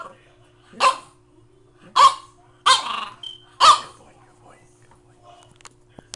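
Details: French Bulldog puppy barking: four sharp, loud barks spaced roughly a second apart, then quiet with a few faint clicks.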